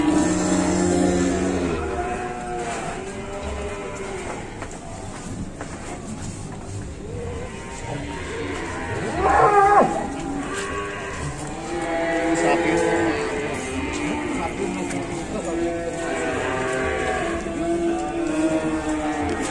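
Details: Cattle at Pasar Pon market in Ambarawa, Indonesia, with scattered, partly masked moos under heavy crowd noise, music and a loud clatter midway.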